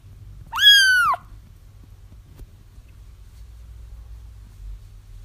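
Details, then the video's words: A single drawn-out kitten cry, high and bending downward, lasting about half a second, then quiet with only a low background hum; part of a recording used to draw a feral mother cat to her found kittens. "30 minutes of Kittens Crying"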